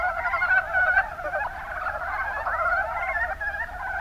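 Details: Mountain brown frogs (Rana ornativentris) in the Kuma Basin, Kumamoto, Japan: a dense chorus of overlapping mid-pitched croaks. Steady, rapid, chattering notes layer over one another with no pause through the whole stretch.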